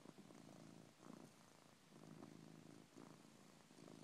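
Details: Pet cat sound asleep and snoring indoors, soft rhythmic breathy purring snores, each breath lasting about a second, quiet and steady.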